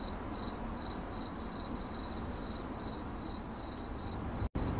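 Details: Cricket chirping in 8D audio, a nearly continuous high trill with gentle pulsing. A low hum runs beneath it, and the sound cuts out briefly just before the end.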